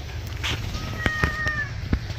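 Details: Pet cat, angry while being bathed, gives a short thin meow of two steady tones held for under a second, with clicks, splashing-like taps and a low background hum.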